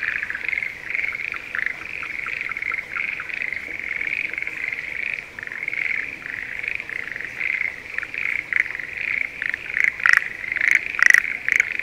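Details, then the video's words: Schlegel's green tree frogs in breeding season, calling from rice paddies near Sendai, Japan, in spring: a dense chorus of rapid pulsed trills, with louder, sharper calls from a nearer frog toward the end. "シュレーゲルアオガエルの鳴き声Voice of schlegel's green tree frog"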